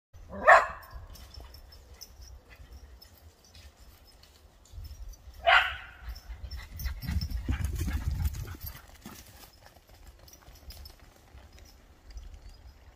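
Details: Excited whippet that won't be beaten gives two sharp, high yelps about five seconds apart, over steady rustling and scuffling with a low rumbling thud in between.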